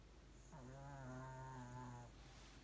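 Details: Pomeranian named Ponmaru, sound asleep, snoring loudly: one drawn-out, steady, low humming snore lasting about a second and a half, with a rich stack of overtones, in a quiet indoor room.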